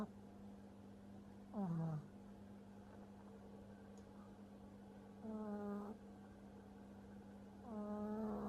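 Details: Django, a French Bulldog puppy, sleeping and snoring heavily: three separate harmonic-rich snorts, short and nasal, spaced a few seconds apart over a steady low indoor hum.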